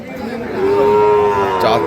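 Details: Sahiwal breed bull calves being bought and sold at Ambari market, Dinajpur, Bangladesh, on 5 May 2025: a single drawn-out, even moo of just over a second, rising in loudness, with a brief clatter at the end.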